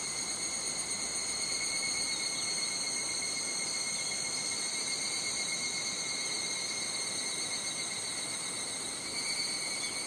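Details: Higurashi cicadas calling in Japanese summer at Nishigō village, Fukushima Prefecture: a steady, high, ringing shrill with stacked tonal bands that holds throughout, lightly pulsing, plus a faint wash of wind.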